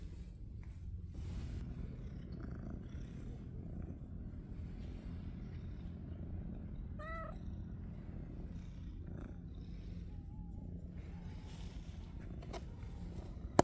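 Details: Stray ash-colored male cat on Cat Island, found healthy in his usual spot after months apart, purring softly throughout; one short rising-falling meow cuts in midway, with scattered clicks and rustles around it.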